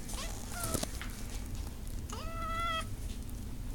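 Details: Domestic cat meowing indoors: a short meow followed by a longer, clear, tonal meow that rises and then holds steady, while a person talks to the cat in a friendly voice.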